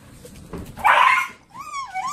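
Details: Three-month-old Border Collie puppy in Sweden, trying to join the pack with older dogs, lets out a sharp high yelp followed by a rising then falling whine, with quiet Swedish speech before it.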